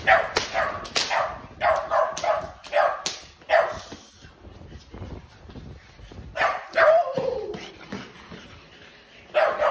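A French Bulldog barks in quick, sharp bursts while guarding its person, with a man's voice nearby.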